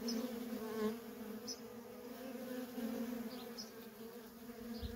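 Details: Continuous buzzing of worker honey bees coming and going at a feral colony, a level droning hum with a brief louder pass early on and faint high bird calls in the background.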